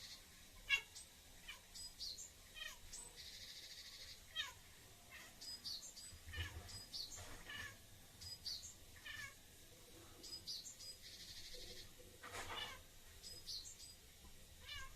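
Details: Bengal cat meowing indoors while conversing with a pet bird: a few soft, short meows between frequent high, thin bird chirps and squeaks, all quiet with a faint steady background hum.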